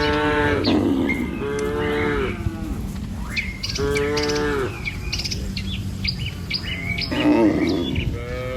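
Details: Tame village cattle led by a herder, walking in a line across a wooden bridge along a wet rice-field path toward green pasture; deep drawn-out moos about a second long, four times, with high bird chirps in between.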